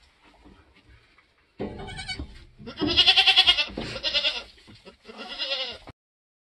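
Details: Nigerian goat on a homestead giving birth during kidding season: loud, strained, pulsing bleats in three long bursts, bright and harsh, separated by short pauses and ending abruptly.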